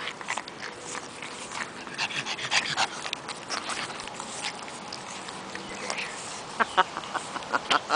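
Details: Pug puppies at the breeder, recorded on 3 June 2011; a few short, high squeaky cries cluster near the end over a constant hiss and soft rustling, with faint voices earlier.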